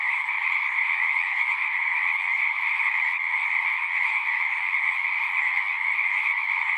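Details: Frogs singing en masse at a horse-pasture pond, Zoom recorder; an even, continuous trilling roar of overlapping callers fills the whole stretch, with slight flickers in intensity and nothing else audible.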